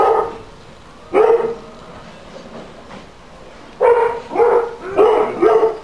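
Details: Dog barking recorded as a noise nuisance for council monitoring: one sharp bark, a pause of over two seconds, then a quick run of four barks close together.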